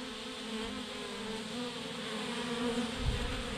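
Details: Swarm of thousands of bees hanging in a massive clump on a branch, giving a steady, continuous droning hum with a low pitched tone and an even, unbroken buzz throughout, briefly swelling slightly near the end.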